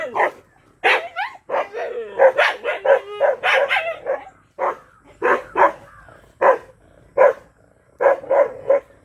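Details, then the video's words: Black Bhotiya dog barking agitatedly, a rapid series of sharp, loud barks, some in quick doubles and triples, a few with a whining edge, continuing steadily for about nine seconds. "Mad ! Barking Bhotiya Dog Black"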